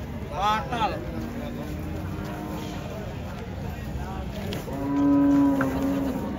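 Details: Cows coming down from a truck. Low moaning moos, ending in a loud sustained bellow near the end, with a brief human shout at the start and constant engine rumble.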